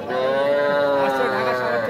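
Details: Cattle at Aftabganj cattle market, Nawabganj, Dinajpur, Bangladesh, where small bulls and heifer calves are sold, on 5 September in light drizzle: one long, steady, fairly high moo holds an even pitch for nearly two seconds, with buyers talking behind it.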